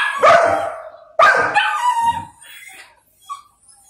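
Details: Little male Golden Retriever throwing a tantrum while kept from his food and awaiting his owner's order: two forceful barks, the second trailing into a whining moan, followed by faint whimpers.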